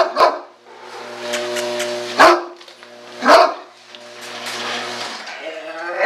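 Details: Great Dane barking: three loud, sharp barks spread over about six seconds, the last two roughly a second apart, with a steady humming tone underneath throughout.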